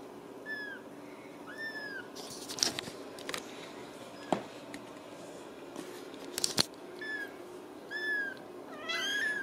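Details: Ragdoll kittens in a home cattery in central Kansas, giving several thin, high, slightly falling meows with clicks and handling noises between them.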